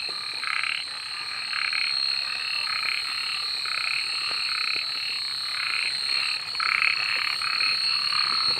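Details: Night-time frog chorus: overlapping raspy croaks in quick, uneven bursts, several per second, set against a constant thin high whine that never stops.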